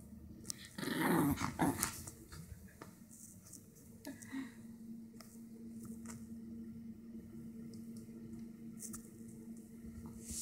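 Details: Toro the dog playing with a new stuffed animal toy indoors: a loud rough burst of growling for about a second, then a long, steady low rumbling growl holding on one pitch with faint rustling.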